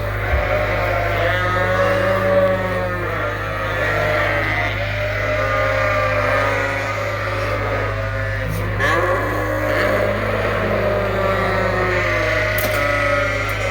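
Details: Suffolk lambs at Ewetopia Farms, mixed into one big group in the barn after a gate was left open, bleating together in a dense overlapping chorus over a steady low mechanical hum.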